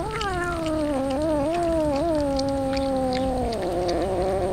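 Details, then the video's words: Hungry street cat being fed tuna gives one long, drawn-out meow lasting over four seconds, wavering slightly in pitch before sliding lower near the end, with faint background clatter. "Feeding yummy tuna fish for hungry cats"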